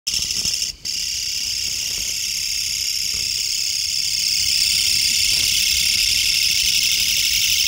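A Mecopoda niponensis bush cricket gives a loud, dense, high-pitched buzzing calling song that barely pauses.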